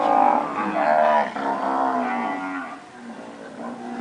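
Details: Nelore cows of pedigree standard that have recently calved, lowing with long, overlapping harmonic moos that bend slightly in pitch, several voices blending over four seconds.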